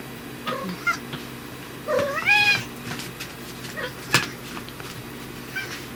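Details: A pet brown tabby cat named Riki, known for sounding gruff or cute depending on whether dad is present, lets out a loud, drawn-out, rising meow after a short one, then softer brief mews in a quiet room.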